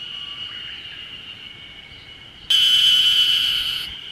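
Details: Ezo spring cicadas (Ezo harusemi), calling everywhere on Mount Ryōzen, Date City, Fukushima, Japan, on 20 June 2021 in early summer, give a loud, shrill, ringing buzz over a faint distant cicada chorus.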